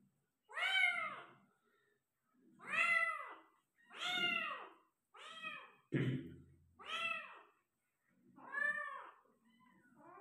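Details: During the delivery of five kittens, a Persian cat gives six loud, arched meows, one roughly every 1.5 to 2 seconds. Each meow is strongly harmonic, and a single dull thump is heard midway.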